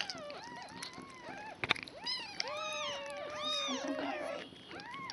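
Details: Day-old kittens, a foster litter of five with mama cat Nala indoors on 26 February 2015, cry in dense overlapping arched mews, some long and wavering, one sharp click between.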